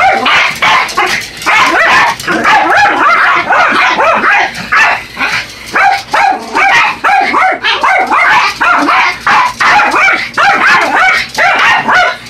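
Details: Buddy and Elmo, a pair of Yorkshire Terriers, go after an R/C truck, sharp high-pitched barking packed almost continuously, yips stacked in quick rhythmic bursts with brief gaps.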